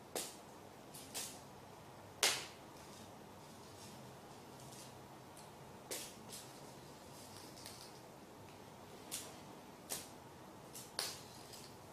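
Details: Quiet indoor room with occasional sharp clicks and knocks, like a drawer or cupboard snapping shut, spaced irregularly; no animal voice.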